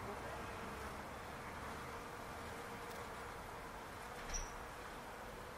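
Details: Bees buzzing around a palo verde tree in a backyard. A thin, steady humming drone runs throughout beneath broad hiss, with one brief higher sound near the end.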